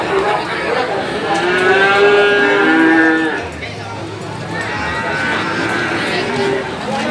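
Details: Young male cattle calves at a cattle market in Gorang Gareng, Magetan, East Java, Indonesia, 24 February 2019; a long harmonic moo lasting about three seconds, then a fainter second bawl, amid steady crowd chatter and speech.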